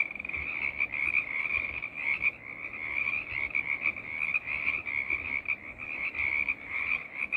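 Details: Frog choir of numerous callers producing an unbroken, buzzing, high-pitched croaking chorus, with rhythmic pulses rising and falling in loudness across the whole stretch.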